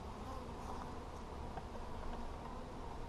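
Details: Honey bees at a hive during a beekeeper's check on 17 July 2020, a steady low droning hum of many bees filling the recording, with faint handling noises over the continuous buzz.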